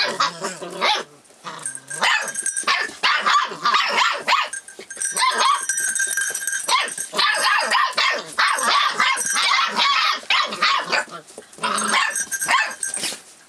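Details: Forty-four-day-old Rough Collie puppy, recorded 25 February 2012, responding sensitively to its changing surroundings; rapid, shrill, harmonic yelps and whimpers tumble over one another through the whole stretch, dropping off briefly after the first second.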